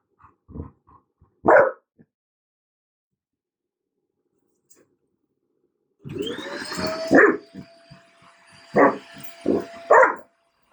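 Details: Bruno, an untrained dog, protests against a vacuum cleaner: a few sharp separate barks, a pause, then the vacuum starts humming and whining as he keeps barking loudly over it in short bursts.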